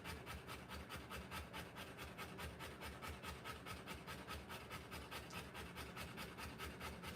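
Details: Rottweiler in labour, giving birth to puppies, panting steadily: soft raspy breaths repeated more than twice a second in an even, unbroken rhythm over low background hum.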